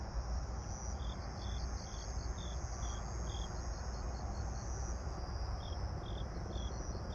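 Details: Grass insects calling at dusk, 18:46 on 26 September 2022: a thin sustained high trill with evenly spaced chirps roughly every half second, briefly stopping, all under a strong low droning rumble.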